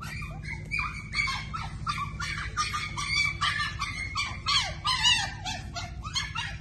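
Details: Toy poodle puppies: a rapid stream of high, squeaky whines and yelps, many overlapping, with a steady low hum behind.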